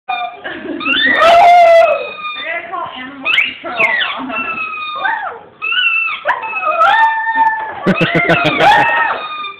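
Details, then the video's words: Dog angered by a squeaky toy, giving loud wavering high whines and howl-like cries in repeated bursts over several seconds, mixed with squeaking and a human voice. "Squeeky toy make dog angry"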